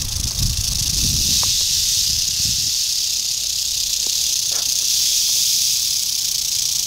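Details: Eastern diamondback rattlesnake, dated 8/27/11, keeping up an unbroken dry, high-pitched buzzing rattle throughout, even in intensity, with some low rustling thumps near the start.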